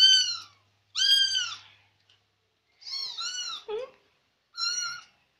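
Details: Chatty Persian kitten trailing its owner, giving four high, clear, slightly falling meows spaced roughly a second apart, the third call breaking into a lower wavering note.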